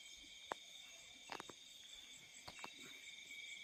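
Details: Night crickets in the fields keep up continuous high, ringing trills, layered with a faster pulsed chirp, while a few brief clicks and taps cut through around the middle.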